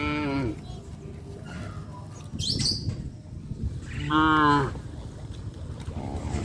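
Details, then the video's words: Tame cows on a traditional village farm, roaming along a highway: a short harmonic moo opens, a brief high chirp follows mid-way, then a louder, steady moo of about half a second, with a softer call closing. "sound of cows"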